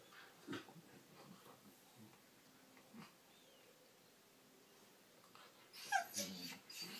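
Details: Two corgis play-fight on their backs, one giving soft grumbles and a brief whine among scuffling noises.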